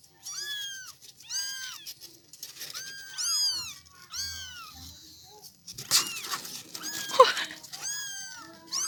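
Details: Kittens of a domestic village cat meowing: high, arched, harmonic mews repeated about once a second, with a brief burst of louder rustling and mixed mewing midway and a soft human voice in the background.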